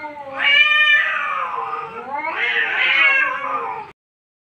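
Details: Cat in an angry mood while fighting, uttering two long, strained, nasal yowls that bend up and down in pitch, the second louder and more tremulous, ending abruptly.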